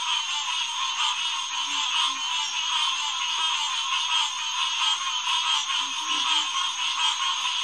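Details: Night chorus of green tree frogs at a refuge headquarters pond in early June 2021; many calls overlap into a continuous high, pulsing drone, with a few soft lower notes near two and six seconds.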